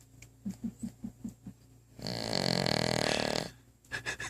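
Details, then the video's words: Female house dog asleep with her head under a coffee table, giving a row of soft quick clicks and then one long, rough, buzzing snore lasting about a second and a half, followed by faint snuffles. "Mom's dog snoring???"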